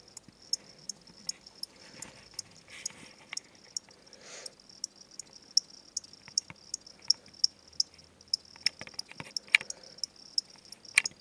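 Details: Pet crickets, a pair from a pet shop where they are sold as food for reptiles, chirp indoors in a steady train of brief, high-pitched clicks, close to three per second, with light rustling and handling noise underneath.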